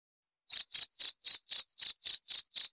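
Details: Cricket (jangkrik) chirping: after half a second of silence, clean high-pitched pulses repeat about four times per second, nine chirps in all, each a short trilled burst against a silent background.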